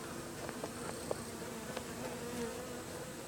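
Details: Japanese honey bees, described as aggravated, hum in a steady, low, droning buzz, agitated and restless.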